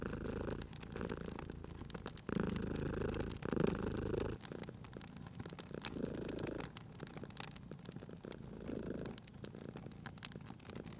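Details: Domestic cat purring while resting by a crackling fireplace, a low rumbling purr in alternating breath phases lasting one to two seconds each, with sharp crackles and pops of burning wood scattered throughout.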